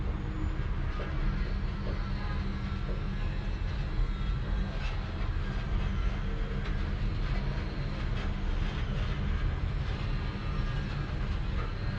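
A steady low engine-like rumble, as from a vehicle or aircraft, with no animal sound.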